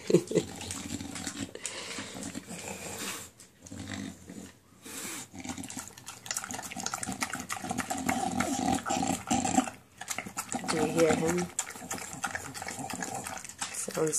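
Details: Enzo, a pet dog tasting his new food indoors, gives a low, rumbling growl that runs almost continuously through the stretch, broken by a few short pauses, with faint wet chewing sounds mixed in.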